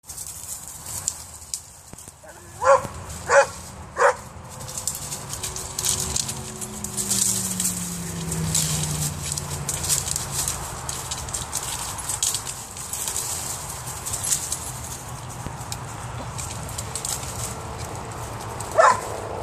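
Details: A female Vizsla Weimaraner mix dog, after spotting a cat up a tree and straining frantically to reach it, gives three sharp barks in quick succession, then one more after a long pause.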